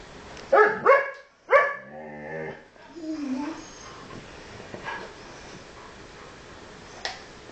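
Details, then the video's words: Pet huskies in conversation: a quick pair of sharp yips, another yip, then a short wavering whine, before the room goes mostly quiet with faint background sounds. "Huskies Talking"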